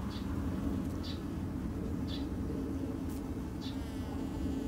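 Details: Japanese honey bees kept by a backyard beekeeper in a garden: a steady, low droning hum runs throughout, with short high bird chirps roughly once a second above it.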